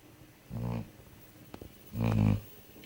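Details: A dog sound asleep snores twice, each a low, rumbling, buzzy breath lasting about half a second, the two about one and a half seconds apart, in a quiet room.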